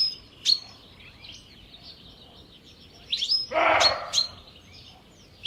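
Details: Alarmed roe deer buck barking in the evening at Jantar: a single harsh, hoarse dog-like bark midway, with high chirping birds calling throughout.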